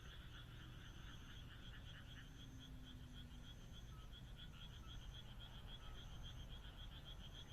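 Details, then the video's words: Countryside frogs at night under the moon, many callers overlapping in a continuous pulsing croak chorus with beaded notes, a brief low hum near the middle, faint high thin tones and steady low rumble. "田舎の月夜 カエルの鳴き声"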